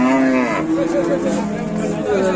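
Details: Raging bull cattle in Indonesia, shown in a bull fight, produce a loud, rich harmonic moo that starts steady, dips, then rises again in short wavering swells.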